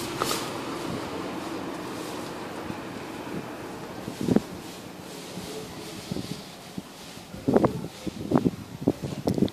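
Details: Steady wind and rustling with a few sharp knocks and handling thumps, and no animal voice.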